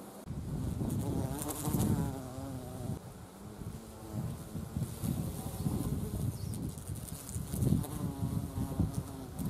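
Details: Carpenter bees visiting wisteria blossoms for nectar in spring, flowering season mid-April to early May; loud low droning wingbeat buzz rising and fading as bees pass close, with rumbling wind noise underneath.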